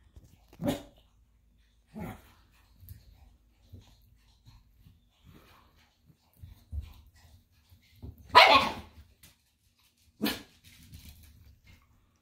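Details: Two dachshunds, a puppy and an 11-year-old, playing after breakfast; short sharp barks and yips spaced a second or two apart, one louder harsher bark near the middle, with low growly rumbles between.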